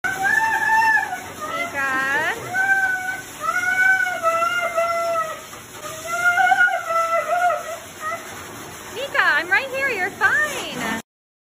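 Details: A dog at the groomers moaning for its owner; a long run of wavering, singing moans rising and falling in pitch, several in a row, ending in a burst of higher rapid whines.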